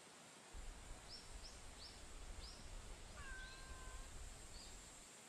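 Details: Daytime encounter with a female stray cat outdoors: one level meow midway, accompanied by a series of short high chirps and a steady low rumble of background noise.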